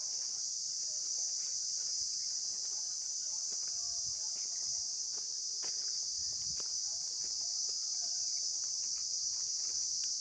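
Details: Steady high-pitched insect buzzing without pause, uniform in loudness, with faint ticking and low rustling beneath.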